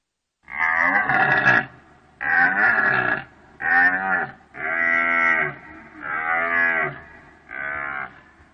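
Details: Deer calling in a series of six loud, drawn-out, harmonic bellows, each about a second long with brief pauses between, nasal and wavering in tone over a faint low hum.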